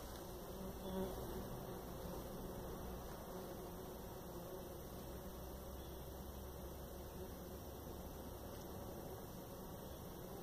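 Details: Jataí-da-terra stingless bee (Paratrigona subnuda), buzz.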